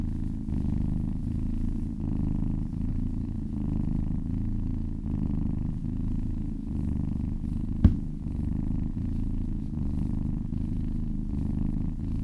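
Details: Massaged cat purring contentedly, a deep buzzing rumble pulsing with each inhale and exhale, interrupted once near the eighth second by a brief sharp click.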